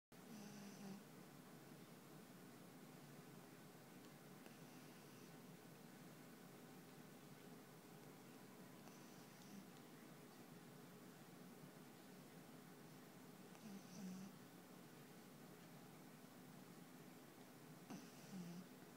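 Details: Panpan, a black pug, snores while asleep indoors: faint, low rasping snores about every four to five seconds, each with a brief higher hiss, over steady quiet room hum.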